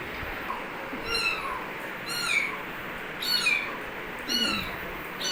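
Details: Kitten calling with four high, thin meows spaced about a second apart, each a short harmonic cry falling slightly in pitch, over a steady background hiss.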